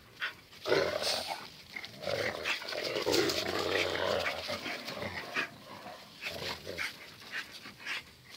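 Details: Two dogs, Zion and Tyson, locked in their daily fierce fight: continuous rough, rasping growls and snarls rise and fall over several seconds, with panting breaths and scuffling, then briefer growl bursts toward the end.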